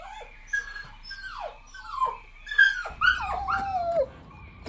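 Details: Playful puppies competing for toys on grass, giving a few scattered, sliding, downward whines and squeaks over a low background rumble.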